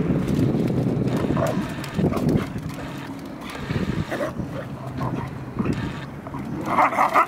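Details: A Siberian Husky playing with a Boxer gives low, rumbling growls and grumbles in bursts, with scuffling throughout.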